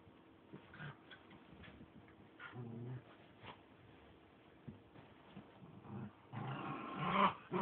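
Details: Two playful dogs, four-and-a-half-month-old Mylo and three-year-old Mescha, playing hide and seek indoors, recorded 14 May 2011: a low rumbling growl midway, scattered scuffling and soft noises, then a louder rough burst near the end over steady background hiss.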